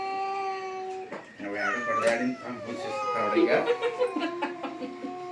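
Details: Two domestic cats fighting, a sustained growling yowl that breaks into harsh, wavering wails and spitting bursts, with a person shouting in Kannada over the noise to chase the cat away.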